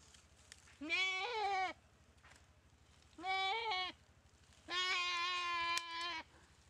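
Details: Goat attacked and bitten by a Komodo dragon in a dry riverbed at Komodo Village, paralysed by the bite; three loud, wavering nasal bleats, the last one longer and steadier, over a low background hum.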